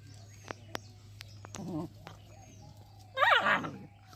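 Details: Dogs fighting on a road: a few faint clicks, a short low growl, then a loud harsh snarling burst of about half a second before it falls quiet, with a steady low hum and faint bird chirps behind.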